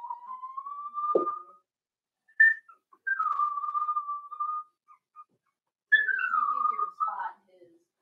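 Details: Daisy's 4-week-old Cavalier King Charles Spaniel puppies in their pen give drawn-out, tonal whines: a long steady cry, a second level whine after a short squeak, then a falling wail ending in a brief rough note, with quiet gaps between.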